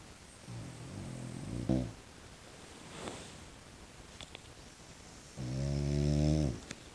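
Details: Tiger brindle French Bulldog, a dog that seldom barks, producing a soft grunting snuffle, then a louder deep buzzing snort about a second long near the end, with small clicks indoors.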